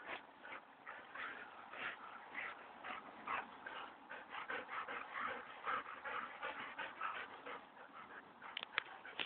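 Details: Two dogs scuffling, a Standard Poodle against a Golden Retriever named Onyx and Bailey: a steady run of quick growls, whines and yips about twice a second, uneven in rhythm, with scraping and panting between.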